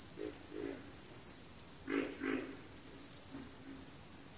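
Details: Brief stretch of a backwater frog chorus: two deep, rasping grunts near the middle and softer croaks around them, under a high insect trill repeated in quick triple pulses.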